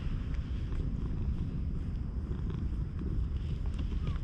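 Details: Stray cat purring with pleasure while groomed with a nekojasuri brush, filmed on a GoPro: a steady, deep, rumbling purr sits close to the microphone, with faint soft brushing sounds above it.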